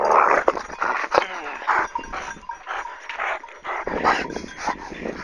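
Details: Kangal dog fight after an attack on its owner, a white dog intervening: strained tonal whines and snarls alternate with gruff growls, with short human voice sounds mixed in, loud at the start and fading between outbursts.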